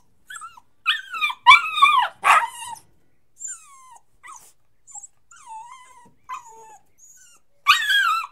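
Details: Puppy crying and whining: a series of high, tonal whimpers that slide downward, several loud strained cries clustered early, then softer thin whines trailing off, with another sharp cry near the end.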